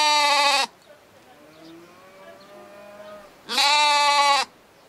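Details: A little lamb bleats in reply to a person calling it: two long, loud, wavering bleats with rich harmonics, each under a second, separated by a quieter stretch of faint tonal sounds.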